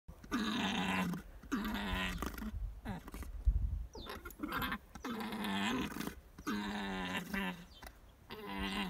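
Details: Alpaca giving loud, harsh, drawn-out calls in repeated bursts of about one second, each a buzzy, strongly harmonic groaning note, with short gaps between and a low rumble near the middle.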